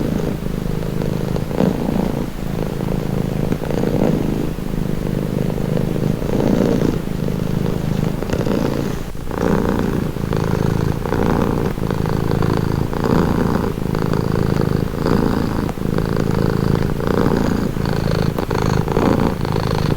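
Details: Cat giving a deep, even purr, a throaty vibrating rumble that rises and falls with each breath across a long steady stretch.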